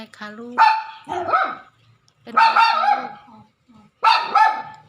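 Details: A pet dog frightened by thunder, jumping up to its owner, gives three bursts of short, strained, whining barks with stacked harmonic yelps and wavering pitch, separated by brief silences, with a woman talking nearby.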